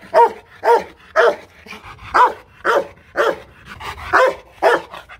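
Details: Hostile Rottweiler in a kennel in Hoang Mai, Hanoi, Vietnam, barking steadily: about ten deep, forceful barks spaced roughly half a second apart, each short and punchy.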